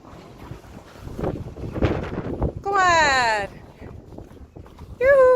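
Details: Friesian horse in a herd with yearlings, neighing while being fed pellets: after a stretch of human voices, a wavering, harmonic whinny lasts under a second, and a second loud call begins at the very end.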